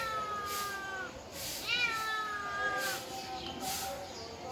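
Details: Cats and kittens meowing indoors: a run of drawn-out, tonal meows, one swooping up then holding steady before trailing off, about four calls in under five seconds, with soft bursts of background hiss between them.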